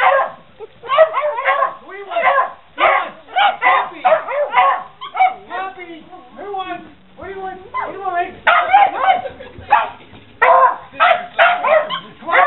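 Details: A Beagle with Puggles reacts to "Who wants cheese?" with rapid, excited barks and whining yips, dense overlapping bursts broken by a short softer pause near the middle before loud barking resumes.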